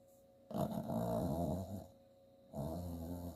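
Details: Bailey, an 8-year-old female Chihuahua and Jack Russell Terrier mix rescue, snores while dreaming in her sleep: two long low rumbling snores with a throaty, growl-like buzz, separated by a quiet pause.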